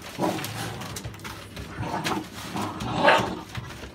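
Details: American Staffordshire Bully dog indoors, from a litter of puppies born 16 November 2017; a few short barking yelps at about a quarter second, two seconds and three seconds, the last brighter and sharper, over room noise.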